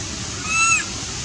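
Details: A loud cry from Milto, a monkey missing his mom and longing to be back home. One short, pure, whistle-like note holds nearly level before dipping at the end, lasting about a third of a second above a soft, constant hum.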